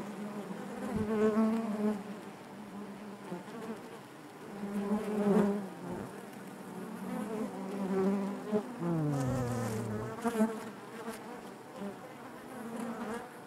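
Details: Honey bees buzzing inside their hive, a dense steady hum with a strong low drone and layered harmonics, individual wingbeats swelling and fading, one bee sliding lower in pitch near the end.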